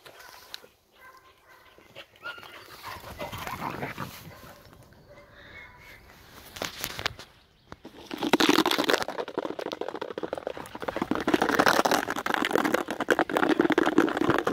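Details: Heideterrier father and daughter, Willy II and Wilma von der Lönsmeute, at play during the closed hunting season; low rough growls and snarling scuffles build into a loud, continuous tussle in the second half.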